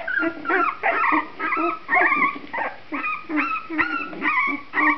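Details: Litter of puppies aged two and a half weeks, their eyes newly opened and just becoming active, whining and squeaking in overlapping bursts, several pups calling at once in a rapid, uneven chorus of high, wavering whimpers.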